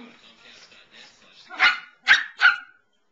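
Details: Female pet Samoyed barking while standing up to another dog, three sharp, clipped barks in quick succession after soft, faint murmuring sounds.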